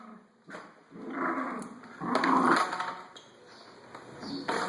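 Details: Pet Schnauzer playing with a vacuum cleaner again; rough, rasping growls in two swelling bursts, mixed with the broad hum of the appliance.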